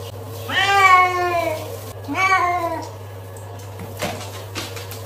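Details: Domestic cat in a funny pets compilation giving two long, bright, wavering meows about a second apart, the first louder, followed by quiet room noise and a low steady hum.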